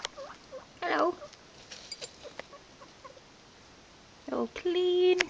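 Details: Guinea pigs giving short squeaky bursts, ending in a steady harmonic whistled squeal about a second long, with scattered faint clicks and rustles between the calls.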